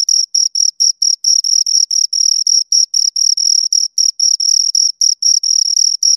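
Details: Two crickets chirping steadily, a dense run of short high-pitched pulses with a clear overtone above, about four chirps a second with no gaps and no other sounds.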